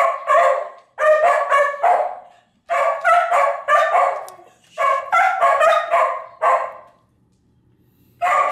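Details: Atka and Nuka, two dogs at home, vocalize at an old clip of themselves howling. Short clustered barking yowls come in bursts of three to five, separated by brief pauses, with quiet hum between bursts.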